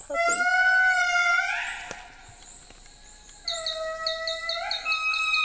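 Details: Indri lemur song from wild endangered animals on their only island, provoked by a guide's recording; a sustained piercing wail that bends upward, fades to quiet, then a second loud wavering held note begins.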